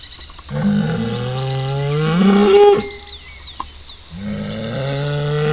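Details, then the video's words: Deep, steady moo from cattle, a low droning bellow that climbs slightly in pitch over two seconds, then a second low moo begins after a short break. "BOI BERRANDO | SOM DE VACA | SOM DE BOI | TOURO BERRANDO | BOI MUGINDO | VACA MUGINDO - SOUND OF COW"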